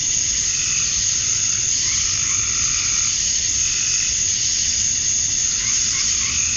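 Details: Male cicadas chirping at summer dusk in Georgia, USA, to attract females: a dense, unbroken high hiss fills the air, with softer whirring waves swelling and fading beneath it at a lower pitch.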